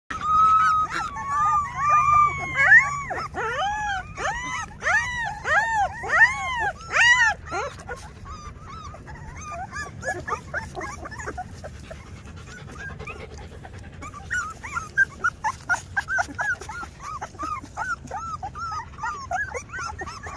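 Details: Two-week-old Rottweiler puppies whimpering and squealing: a long high whine, then bursts of arched, wavering squeals, a quieter lull, and more rapid squeaky cries near the end.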